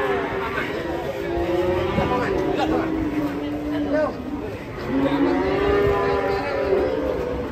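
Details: Qurban cattle, 2023, unloaded by jumping off a truck: long, steady low moos of a second or two each, several in a row, heard over constant crowd chatter and background noise.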